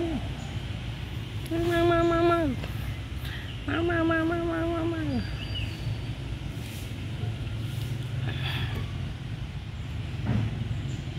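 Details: Two bright meows in quick succession, each level and then sliding downward, from a smart, friendly abandoned kitten in a pagoda. Steady low-pitched background noise continues throughout.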